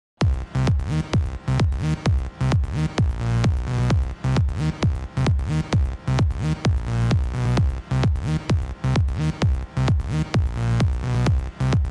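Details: Loud electronic dance music with a strong, steady thumping beat and bright synthesizer chords throughout.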